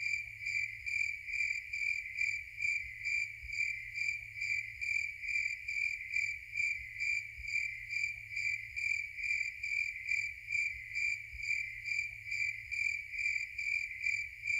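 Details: Continuous cricket chorus: a shrill, ringing chirp pulsed in a regular rhythm of roughly two beats per second, with nothing else but a quiet low hum beneath.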